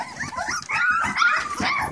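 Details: English Springer Spaniel puppies eating puppy mash and replacement milk indoors, giving overlapping high whiny whimpers and squeaks that rise and fall constantly over two seconds, with soft lapping noises beneath.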